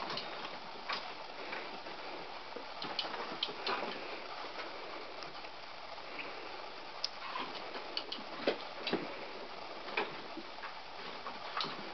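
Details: Scattered ticking and clicking sounds over an indoor background, with no animal voice heard.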